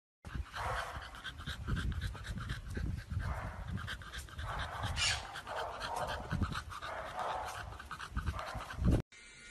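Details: Chow Chow dog in a compilation of Chow Chow puppies and dogs, panting in quick, breathy rhythmic bursts, each huffing breath repeated rapidly, ending with a sudden cut near the close.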